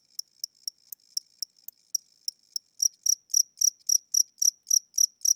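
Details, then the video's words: Inside a house at night, an aging cricket with weakening wings chirps slowly; thin, sharp ticks for three seconds give way to fuller, louder chirps repeated about four per second. "Cricket Chirping Sounds: Low Battery"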